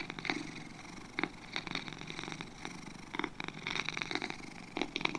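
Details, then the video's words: Two pet cats purring softly, a low raspy hum with intermittent brighter pulses about every half second, quieter passages between, nothing else audible. "2 Cats Purring"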